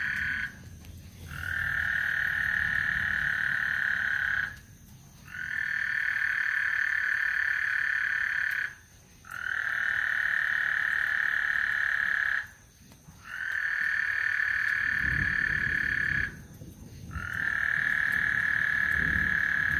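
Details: Frogs singing on Lake Houston before a thunderstorm: long, steady, buzzy trills of three to four seconds each, broken by short pauses, over a soft low rumble.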